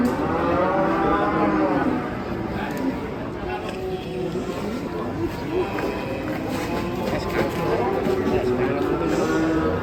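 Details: Masked cattle raging while coming down off a truck; long harmonic lowing calls run almost continuously and overlap one another, with a steady high whine and a background murmur of people.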